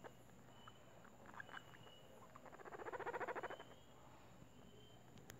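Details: Guinea pig purring while being petted at home: a soft, rapid pulsing rattle that swells and fades over about a second, against low room noise.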